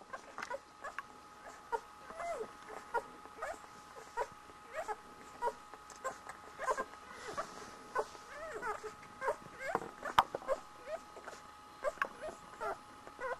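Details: One-week-old Border Collie puppies nursing, giving short high squeaks and soft whimpers that repeat in quick irregular bursts throughout, over a steady faint electrical hum.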